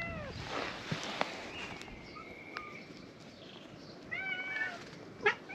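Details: Cats gathering in a fishing-town back alley, forming a big cat meeting around a sitting person; a short drawn-out mew, then a brief wavering meow near the end, over outdoor background hiss and small knocks.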